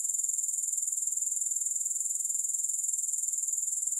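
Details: Unbroken, high, shrill grasshopper trill made of rapid, even pulses, steady in loudness throughout, with nothing else audible.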